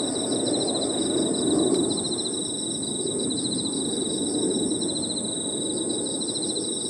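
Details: Crickets and other insects calling in an evening park, a continuous high ringing tone layered with quick pulsing chirp trains, set against a steady murmur of low background noise.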